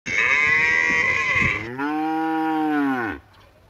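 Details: A female water buffalo in a village calling for her mother. A single loud, drawn-out moo about three seconds long: a nasal, bright opening, then a deeper, steady, tonal moan that fades out at the end.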